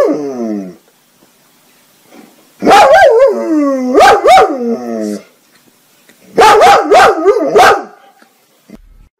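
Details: Dog barking in a compilation of funny dogs: a whining, wavering bark early, then two bursts of loud barks with long yowling tails, each burst holding three or four barks, quiet gaps between.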